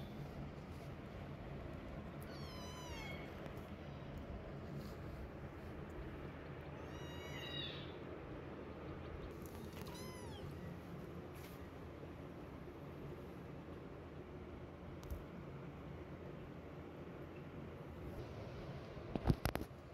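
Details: Kittens during weaning demanding milk from their mother cat, giving three high, rising-and-falling meows around the third, seventh and tenth seconds over a steady low hum, with a brief clatter near the end.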